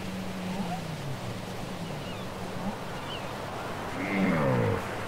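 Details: Cassette recording of whale song: low, level droning tones repeated through the first seconds, faint high squeaks scattered above, then a steep harmonic downsweep near the end, all against a constant hissing background.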